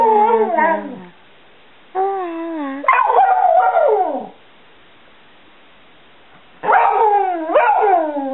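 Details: Stewart Little, a Border Collie mix aged seven and known as Bubba, talks and sings about loving his family: several falling, warbling howls in groups with quiet gaps, ending in a pair of bending yowls.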